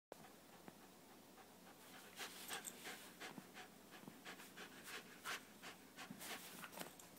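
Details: Newly arrived dog at play: rapid, breathy, airy panting bursts, several per second and uneven, rising in loudness after the first two seconds.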